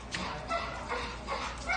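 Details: American Staffordshire Terrier, a male shelter dog up for adoption, recorded 27 April 2019 in the evening, wanting to play: five short, sharp barks or yips in quick succession, about one every 0.4 seconds, with faint background hum.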